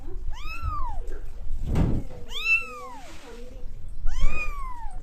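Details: A cat in India gives three clear meows, each an arched rise-and-fall wail about half a second long, spaced roughly every two seconds, with a dull thump and faint room noise between them.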